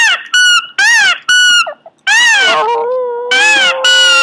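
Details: Pomeranian dog making odd vocal noises: a series of loud, rich, wavering yowls and whines of about half a second each, some rising then falling, with one longer drawn-out moan in the middle and brief pauses between.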